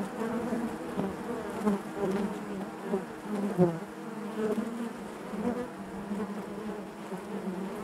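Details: Honey bees buzzing inside their hive: a steady, dense hum centred low with stacked harmonic bands, swelling slightly around the middle and holding even throughout, with brief sharper knocks near four seconds.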